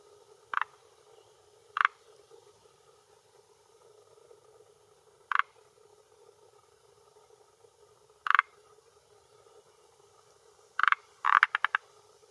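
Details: Croaking male Forest Green Tree Frog (Rhacophorus arboreus) inflating a vocal sac at a hillside pond shore in Japan, early-June 2021 late afternoon, calling to hold territory and attract females; brief hard croaks every few seconds, ending in a rapid burst of several.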